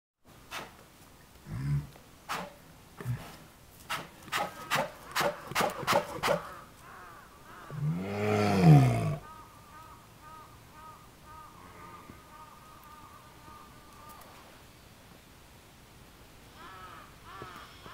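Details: Denali, a male polar bear at Maruyama Zoo on 5 March 2010, back from Kushiro City Zoo the day before and excited by his daughter Pirika and mate Lala nearby; a run of rhythmic breathy huffs, then a deep, loud growl and a thin steady tone.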